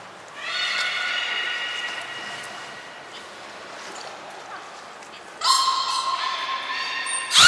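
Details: During training on 20 February 2021 at the Port of Nagoya Public Aquarium, belugas Mirai and Nico give a long, steady, harmonic call lasting about two seconds, then after a pause a louder, richer tonal call, ending in a sharp noisy burst.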